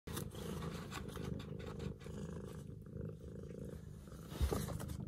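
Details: Long-legged Munchkin cat purring: a steady, deep, throbbing rumble runs throughout, with soft pulsing swells and a small bump or click near the end.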